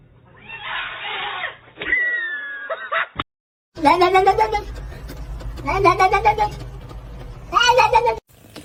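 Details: Kitten meowing and crying: after a noisy, muffled opening and a brief silence, three drawn-out harmonic meows arrive about every two seconds, each rising and then falling.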